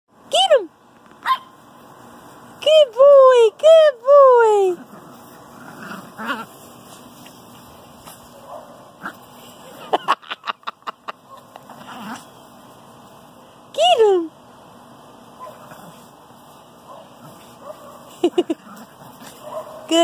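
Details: Eight-week-old Great Pyrenees puppy being accepted into the pack: a few high whines and yelps with sliding, bending pitch, quick clicking bursts near the middle, and a Spanish-speaking voice heard in the background.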